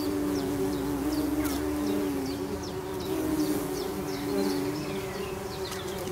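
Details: Bombus hypnorum nest, tree bumblebees droning steadily in a low continuous hum, while high chirping bird calls repeat rapidly in the background.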